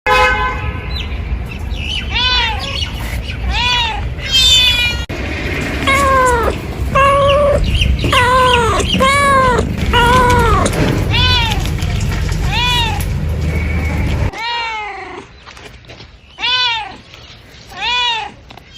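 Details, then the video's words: Several cats meowing in a bamboo tree while looking for food and drink; many overlapping arched meows, some high and thin, repeated about once a second over a steady low rumble, with a quieter stretch near the end. "The sound of a cat meowing in a bamboo tree, calling"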